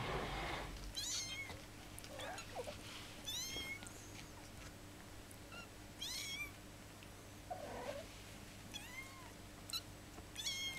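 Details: Young kittens, fifteen days old, calling with repeated piercing mews roughly every two seconds, some overlapping as more than one kitten cries, over rustling and a low hum.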